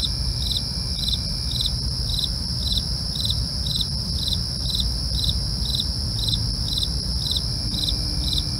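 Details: Crickets at night: short bright chirps repeat steadily, about two and a half per second, over continuous high shrill insect trills and a low rumbling background hum.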